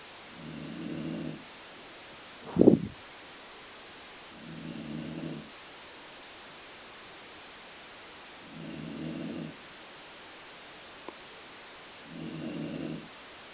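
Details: Sleeping dog Colline snores in a way compared to stomach growling. Low buzzy snores come about every four seconds, four in all, with one sharp thump or knock between the first two.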